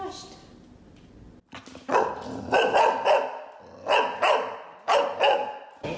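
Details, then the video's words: Rocky, a Golden Retriever puppy almost five months old, protests being brushed with short bursts of sharp barks and yelps, roughly four loud clusters over a few seconds, with a man's soothing voice praising him between them. "CUTE GOLDEN RETRIEVER DOESN'T WANT TO BE BRUSHED"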